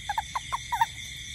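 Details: A toad in a garden at night during rain gives a quick run of short, mid-pitched croaking notes over a steady background hum of insects.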